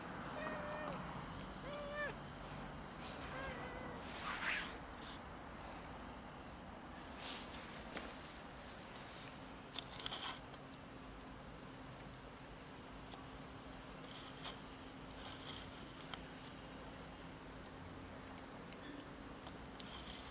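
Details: Many cats gathered near a building, waiting for someone to feed and pet them: a few loud, harmonic meows in the first five seconds, then quieter surroundings with a steady low hum and faint background voices.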